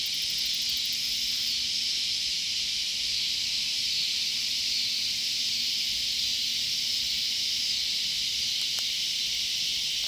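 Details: Loud cicadas by a sunflower garden being prepared, filling the air with an unbroken, steady, high hissing buzz that holds at the same pitch and loudness for ten seconds, with a faint low hum beneath.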